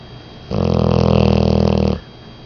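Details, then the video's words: Snoring of a 10-month-old female English Mastiff, a long low rumbling snore of about one and a half seconds, evenly pulsing and throaty, framed by quiet breathing gaps. "English Mastiff Snoring"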